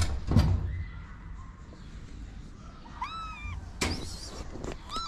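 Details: Street kitten in Morocco, a homeless stray being fed and starting to climb onto a lap, gives a few short, high meows in the second half, with door-like thumps and knocks around them.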